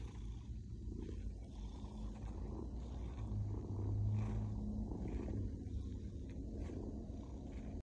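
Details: A happy female Maine Coon kitty purrs in a deep, steady rumble that swells and fades with each breath.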